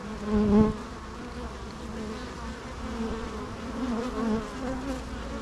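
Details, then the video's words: Humming bees: a loud close buzz at the start fades to an even, droning hum with gently wavering pitch, steady throughout with no other clear sounds. "natural bee sounds"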